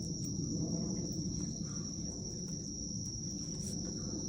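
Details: Night-time autumn crickets in Japan, recorded by iPhone on 19 September 2024 at dusk with a dog nearby: constant piercing high trill, a few soft ticks layered over it, plus a low rumbling backdrop.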